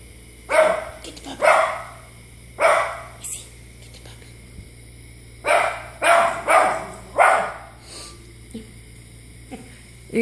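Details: Domestic dog barking at dogs on television, giving loud, gruff barks in pairs and triplets, roughly nine in ten seconds with short silences between groups, faint talk in the room.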